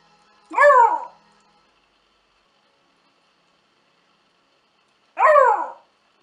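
A Basenji makes two brief, musical, yodel-like vocalizations that swoop up and fall away, separated by a long quiet pause. A man speaks briefly around the calls.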